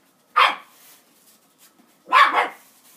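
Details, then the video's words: Border terrier barking at a broom: two loud, harsh barks about 1.7 seconds apart, each short and forceful, with near silence in between. "border terrier barking at broom"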